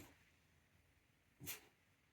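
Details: A dog with a pulled muscle in its hind leg gives a single short, sharp bark at pigeons, heard at a distance in a quiet room.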